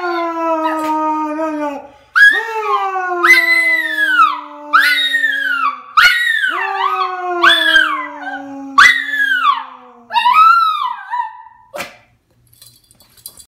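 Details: Poodle singing with its owner, holding drawn-out howls that swoop up and down in repeated phrases, layered over a lower, steadily held human note, then falling silent near the end.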